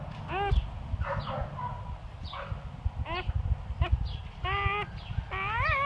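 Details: English Labrador puppies just born to Bubbles, a mostly chocolate litter. Short, rising-and-falling squeaks repeat every second or so over a steady low hum, with faint voices behind.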